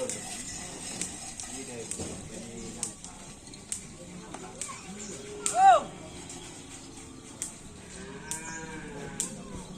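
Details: Madura cattle at a karapan sapi bull racing training session on the Asemanis field, held in preparation for a race; one short arching moo rises and falls mid-clip over a busy background of clatter, voices and faint music.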